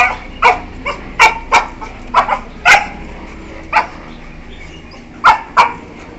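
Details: Two 1-year-4-month-old Beagles give short, sharp yelps in irregular bursts while playing with each other.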